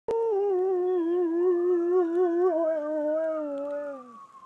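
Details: Dog howling in response to a passing ambulance siren: one long, steady, tonal howl with rich harmonics, slightly wavering, then sliding downward and fading at the end.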